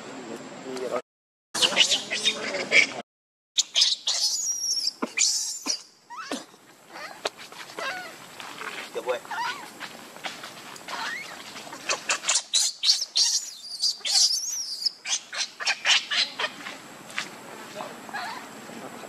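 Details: Baby monkey Lucie crying pitifully for milk, foaming at the mouth; shrill, high-pitched wailing cries rise and fall, then give way to rapid pulsed squeals in quick bursts, with two brief silent gaps near the start.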